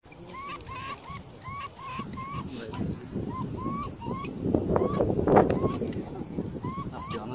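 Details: A least weasel (Mustela nivalis) on the Danube cycle path in Regensburg gives a steady series of short, upward-bending chirps, several each second, over low rumbling noise.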